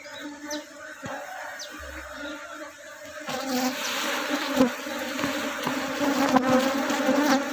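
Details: Honey bee colony tended by a beekeeper thinning out drones to prevent the colony splitting and speed honey production; a dense, steady buzzing hum with a low drone and layered overtones swells louder after the first three seconds.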